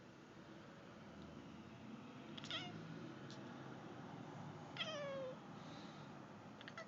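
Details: A female Turkish Van cat watching birds outside a window chatters in short chirping bursts, ending with a falling, meow-like trill.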